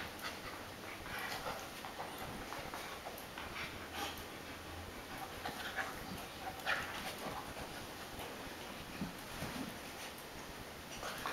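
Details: American Akita Tomo, an adult female, entertains her little puppy brother Shima at play. Irregular huffing pants and short snorts come and go over a constant hiss, with brief scrapes and thumps of movement.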